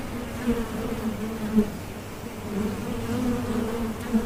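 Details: Steady bee drone offered for calm and sleep, a low droning hum with a wavering upper band, briefly louder around each passing insect.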